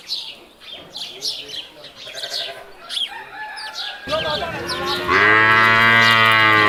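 A water buffalo gives a loud, steady, buzzy moo after a stretch of chirps and background sounds.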